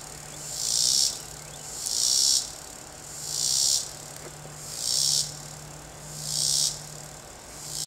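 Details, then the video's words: Cicada singing in a backyard tree, recorded undisturbed: five loud buzzing bursts, each about a second long, rising and fading roughly every 1.3 seconds, over a steady low hum and faint background noise. "Cicada singing"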